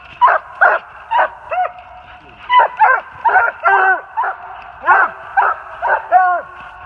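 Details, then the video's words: Treeing Walker Coonhounds, an open spotted bitch, a saddle back male with a chop and a blanket back male with a long bawl, treed on a big den 450 yards away in NJ on 3/28/18. Loud, overlapping bawls and chops repeat about every half second. "LOUD MOUTH WALKER DOGS TREED ON A BIG DEN 450 YDS"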